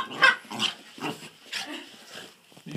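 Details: Border Terrier puppy going crazy with excitement, giving a rapid run of short, harsh, grunting yelps and squeals, about six bursts in under three seconds, indoors.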